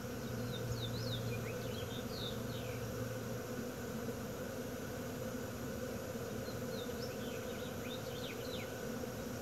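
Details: Bee swarm in Wisconsin in June 2016, a dense, steady droning hum with layered low tones that stays unbroken throughout, while small birds chirp in quick high bursts in the background.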